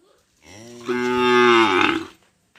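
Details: Single long cow moo, a rich, harmonic bellow that swells and holds steady for over a second, then fades out.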